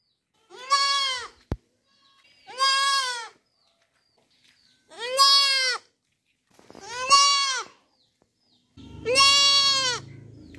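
A young goat bleats repeatedly, each cry a wavering, nasal baa lasting under a second.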